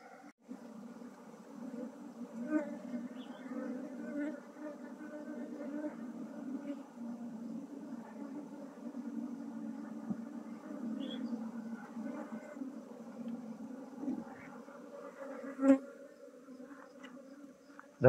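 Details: Honey bees being moved from a traditional log hive into a modern hive while beekeeping: a steady low droning hum throughout, with a few faint voices and soft clicks near the end.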